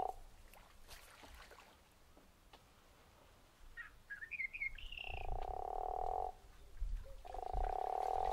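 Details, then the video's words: Guttural toad at Zeekoevlei: after a quiet start with brief high chirps, two long snoring, rasping croaks of about a second each sound near the end. "The Snoring Toad"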